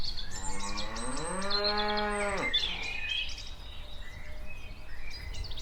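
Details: A cow (Bos taurus) walking around gives a single long, deep moo that rises slightly in pitch, with small birds chirping behind.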